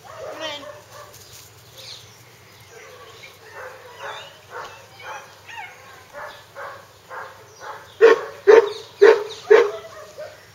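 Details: Hungarian Vizsla puppies giving a quick run of short yelping calls, softer at first, then four loud sharp yips close together near the end, about two per second.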